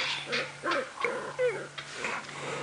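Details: At Djuma Game Reserve on a sunset safari drive on 28 November 2016, a young chacma baboon being disciplined in its troop gives high, squealing, wavering screams and whimpers in quick bursts over a steady low vehicle engine hum.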